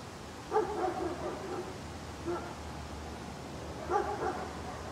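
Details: Angry guard dog barking: three bursts of harsh, harmonic barks, each a quick double or triple bark, spaced about one and a half seconds apart over a steady low background hum.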